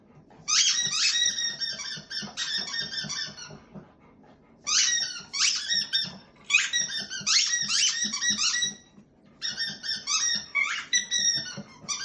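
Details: Black Lab in a small room giving an endless whistling solo: shrill, quavering squeals in bursts of one to two seconds, with brief pauses between runs and soft low rustling beneath.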